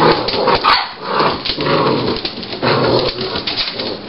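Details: Seven-week-old puppies born in March 2009, from the Abby and Rocky litter: a few short yips and barks rise above constant dense scuffling and rustling noise that fills the whole recording.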